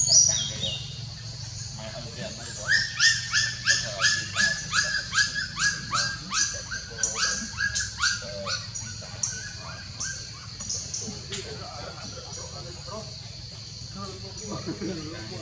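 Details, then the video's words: Puppies making a weird sound that scares and shocks a pet monkey; high, whining yelps with bright overtones repeat about three times a second for several seconds, then weaken and fade, over a steady low hum and faint speech. "Weird Sound Of Puppies"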